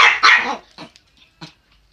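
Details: Chihuahuas, two pet dogs, yapping: a pair of sharp high barks in quick succession, then a few quieter clipped yips trailing off into silence.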